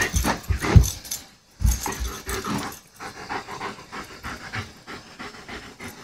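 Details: German Shepherd at play, panting: a few loud breathy huffs at the start, a brief pause, then a steady run of softer, quick rhythmic breaths.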